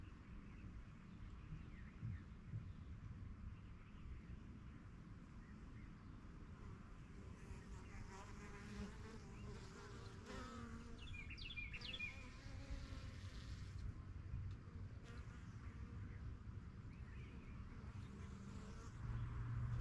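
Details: A backyard honey bee hive, the yellow box judged strongest of the first hives begun in spring 2023, with foragers flying in and out. A low, even hum runs throughout, with a short bird twitter around the middle.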